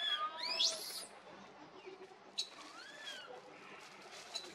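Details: Baby monkey crying for its mother: a burst of shrill, rising, whiny squeals in the first second, then a short sharp squeak and a softer falling wail a little later, over a steady faint hiss.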